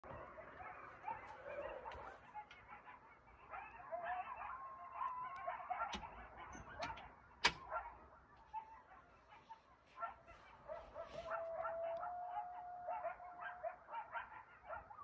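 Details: Coyotes in a frenzy at night outside a house, a chorus of wavering, whining howls mixed with sharp yips and barks. Sustained high notes are held for a couple of seconds at a time, over a quiet background.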